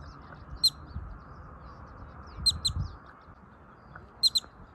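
A groundhog gives sharp, high chirping calls, some single and some in quick pairs.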